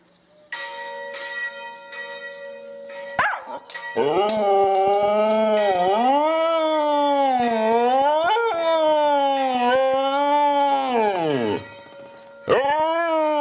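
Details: Two Siberian Huskies sing together: one starts and the other follows. The result is a long, wavering howl that rises and falls in pitch, preceded by a steady ringing tone.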